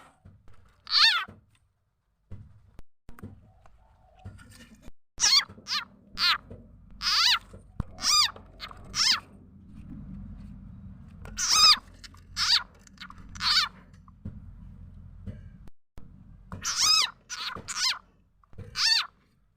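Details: Small frog known locally as khiat ja na or khiat i mo, its call used as a lure for catching birds, chickens and other fowl; sharp, high chirps with stacked harmonics, given singly and in short runs at irregular intervals over a faint low hum.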